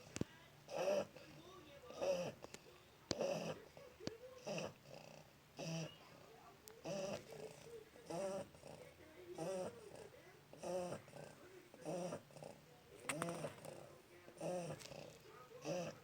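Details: Shar Pei puppy, one month old, snoring in steady sleep, with short buzzy snores repeating about every second and a quarter in an even rhythm, plus faint room noise between breaths.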